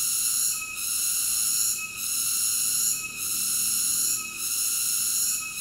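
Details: Steady shrill buzzing of a cicada, bright and metallic, with short regular dips in loudness roughly every second and a quarter; nothing else audible.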